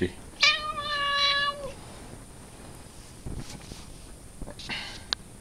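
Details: Pet cat, filmed in May and described as funny and dangerous, gives one long, even, harmonic meow lasting over a second that dips slightly at its end, followed by quieter rustling, clicks and faint handling noises.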